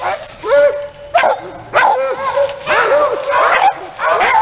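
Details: Several small kennel dogs in Aquitaine, France, bark in excited clusters, with sharp high yaps and a few drawn-out whining notes between bursts and almost no pause in the racket.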